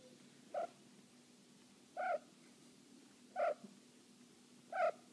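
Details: Cornish Rex cat in heat, calling indoors: four short, clipped, nasal chirping cries, evenly repeated about every one and a half seconds, with faint low background hum between calls.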